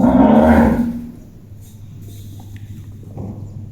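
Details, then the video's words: Ganga, a pet cow in a village, calling as if talking to her owner: one loud, harsh, voiced moo lasting about a second, then quiet rural background with faint low hum. "My Pet Cow Ganga Talking! 🐄 Funny Cow Sounds"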